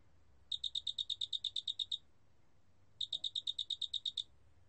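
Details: Two pulsed trills from a big mottled cricket, a Korean species, recorded in 2020. Each bright, metallic burst has roughly twelve quick pulses, with a pause of about a second between them. A quiet low rumble lies underneath.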